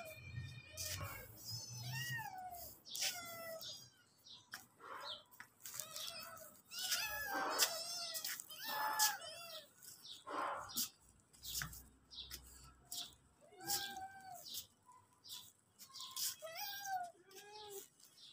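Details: Several hungry pet cats and kittens heading toward the kitchen, meowing repeatedly in high, bending cries that overlap, some long and wavering, with a person speaking Hindi at the start and faint clatter between calls.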